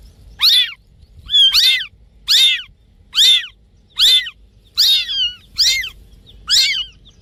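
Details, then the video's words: Cat giving high, thin mews, each rising then falling, repeated about once a second over a faint low hum. "Funny cat sound"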